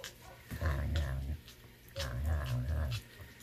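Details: Serval inside his building in snowy weather, grumpy about the cold snow, giving low rumbling growls in two bursts of about a second each, with a woman talking softly nearby.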